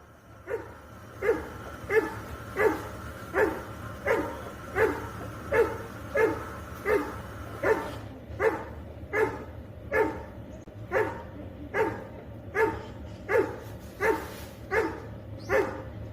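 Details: Labrador Retriever recorded on a home CCTV camera, barking steadily with single woofs repeated roughly every 0.7 seconds for the whole stretch, over a low constant hum.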